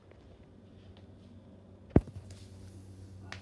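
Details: Quiet indoor room tone with one sharp knock or tap midway and faint rustling afterwards, with no animal voice.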